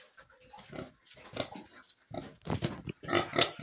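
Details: Young pigs feeding in their pen give rough grunts and short squeals in irregular bursts, growing louder and busier toward the end amid eating noises.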